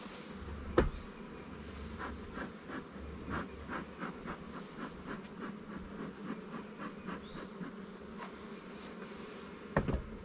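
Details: Honey bees at a newly captured swarm hive in an apiary of Langstroth and Warre hives, during a check that moves resources from stronger colonies; a steady low hum with sharp knocks and clicks from hive handling near the start and end.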